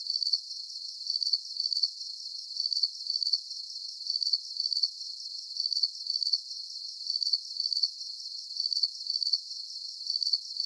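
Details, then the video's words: Relaxing night-style cricket chirping for sleep; evenly spaced high-pitched chirps, each a tight burst of rapid pulses, repeat roughly every half second over a quiet shimmering background, with nothing lower heard. "Calming Cricket Sounds"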